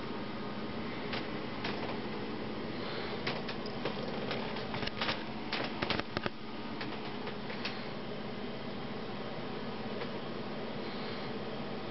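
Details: Constant fan-like hum in a small indoor room, broken by scattered sharp clicks and scratches, with no animal calls.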